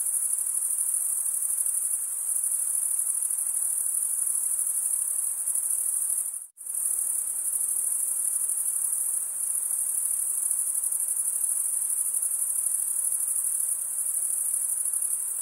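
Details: Stridulating male crickets hold a steady, shrill, very high trill that cuts to a moment of silence about halfway through, then resumes just as before.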